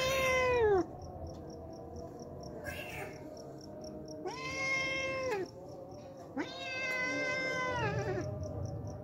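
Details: Stray cat, hungry and visiting every day to drink milk, calls with a falling meow followed by two longer, level meows, the last one wavering; faint background hiss.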